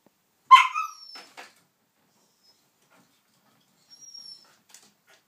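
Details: White Shiba Inu dog struggling because a hoof chew will not come out; one short, high, strained whine with a quick falling tail near the start, then faint scuffing and quiet.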